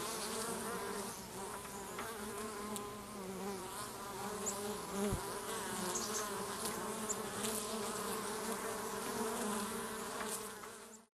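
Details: Western honey bee (Apis mellifera), colony buzz: defending the hive against an intruder.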